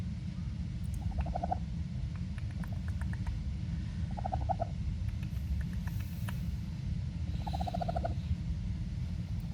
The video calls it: Baby Raccoon Making Happy Noise